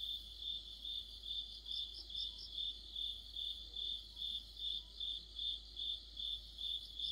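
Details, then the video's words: Autumn night insect chorus led by crickets, possibly near a streetlamp: a steady high chirping pulse repeating about two to three times per second, with fainter higher trills layered above and a soft low hum underneath. "가을의 한 복판 곤충들의 합창"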